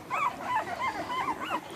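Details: American Bully puppy whimpering as the litter, bred from ABKC champion parents, is sorted into males and females; a run of wavering, squeaky cries repeated about every quarter second.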